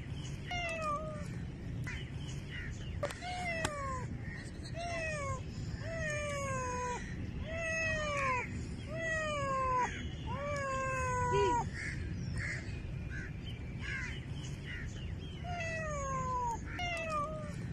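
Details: Cat meowing over and over, each meow a clear, falling, whining note, coming in quick runs with short gaps, over a low rumbling background.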